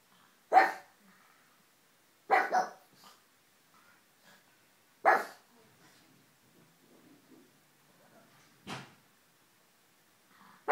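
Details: Pug named Ulysses barking: five loud, short, harsh barks spaced irregularly across about ten seconds, one a quick double, with quiet gaps and faint small noises between.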